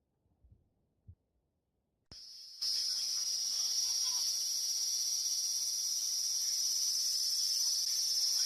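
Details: Cicada confronting a cat, recorded 13 August 2017: after a few soft thumps and a brief silence, a sudden loud, high, steady buzzing drone switches on and holds unbroken to the end.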